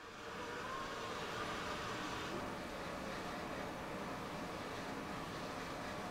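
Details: Steady road traffic noise with a passing vehicle rumble and no animal voice. A broad engine and tyre hum fills the whole clip.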